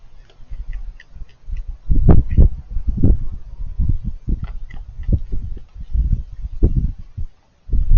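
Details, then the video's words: Raccoon eating with crunchy noises: rapid, irregular low crunches and snapping clicks in continuous bouts, stopping briefly near the end before resuming. "Raccoons Eating & Being Cute - Cute Lil Crunchy Noises While It Eats"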